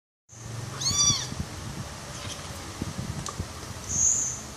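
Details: Hungry kitten named Nemo, being fed goat milk, gives one short, high meow that rises and falls near the one-second mark. Soft handling and feeding noises follow, with a brief high tone at the end.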